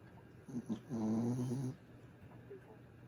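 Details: Griff the pet dog snoring while asleep: one drawn-out, low, rumbling, voiced breath lasting under a second, with a couple of shorter snorts just before it in an otherwise quiet room.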